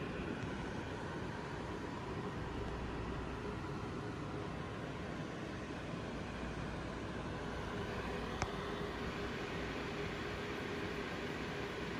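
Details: Steady broadband rumble like passing traffic or an engine, with one sharp click near the end and no animal voice.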